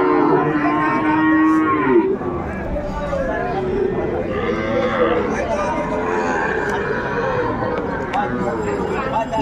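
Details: Sahiwal bull calves at a Dinajpur cattle market, Ambari, Bangladesh, March, Ramadan: a steady moo opens the recording, followed by several overlapping, wavering moos from multiple animals amid busy market chatter.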